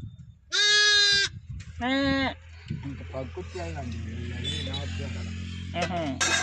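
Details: Day-old lambs in a village give two loud, wavering, high-pitched bleats in quick succession, each about half a second long, followed by a steady low rumble and murmuring voices in the background.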